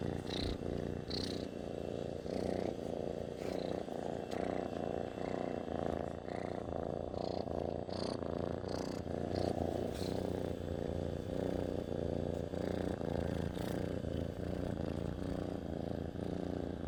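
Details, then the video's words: Domestic cat purring steadily at close range, a continuous low rumbling vibration with rhythmic pulses rising and falling through breaths, plus a few faint soft clicks and rustles. "Cat Purring"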